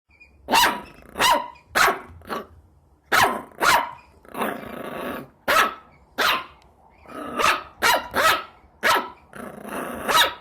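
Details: Puppies barking loudly in irregular bursts of sharp, high-pitched yaps, some notes drawn out into rough, growly barks, with short pauses between volleys.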